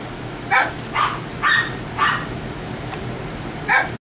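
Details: Young puppies, 3.5 weeks old and newly up on their feet, utter five separate squeaky yelps, each a brief rising-then-falling cry roughly half a second apart, with low background hum.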